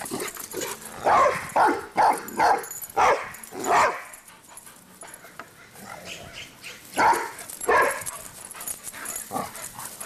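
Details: Dogs named Cinder and Zoe bark while running around: a rapid string of about six loud barks, a lull of soft noises, then two more barks and fainter yips.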